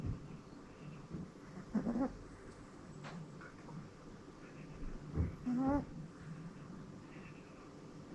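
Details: Sleeping soundly, Kuu the female rescued Pomeranian snores in assorted noises; two thin squeaky whistles with upward bends stand out from a steady murmur of breathing in a quiet room.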